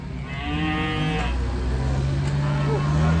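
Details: Raging cattle (sapi ngamuk) in Indonesia, unloaded from a truck: a low, drawn-out harmonic moo over the first second, then a lower steady hum with background rumble and low voices.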